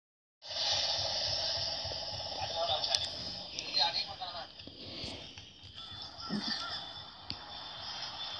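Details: A Sumatran (Asian) elephant gives its loudest roar, a loud, brassy, harsh trumpet that bursts out suddenly and then fades, said to carry up to 10 kilometres; recorded 27 February 2017.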